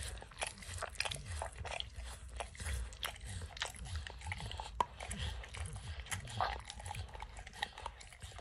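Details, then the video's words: Max, a dog, licks and snacks on peanut butter and kibble stuck in an orange mat: a dense run of wet clicks and smacking tongue strokes, with low thumping bursts and occasional crunches, no talking. "Dog Licking Sounds"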